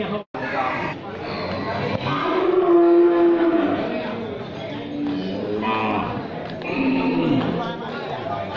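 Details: Cattle of many types, from scrawny to jumbo, gathered in one place; a drawn-out, steady low moo in the middle, followed by softer, bending lowing calls over a background of chatter and voices.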